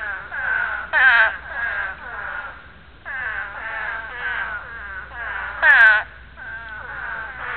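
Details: Breeding chorus of spadefoot toads: bleating, wavering moans overlap throughout, with two loud, close calls, near the first second and the sixth, rising above quieter callers in the background.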